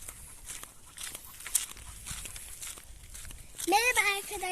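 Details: Cocker Spaniel puppy named Kara kız, out on a night walk with the cocker Simba and still getting used to its owners, gives a short high, wavering whine near the end, after quiet human voices and rustling footsteps.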